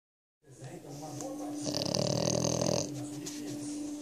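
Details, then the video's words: French Bulldog asleep in its owner's lap, snoring: one long, rough, rasping snore swells up and fades, with quieter breathing noise around it and a steady low hum underneath. "Cachorro roncando ( bulldog francês)"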